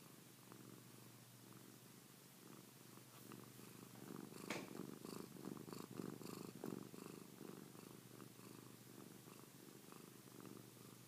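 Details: Pilar the cat purring in a low continuous rumble that grows louder midway, with a few sharp clicks and rustles over the steady throbbing.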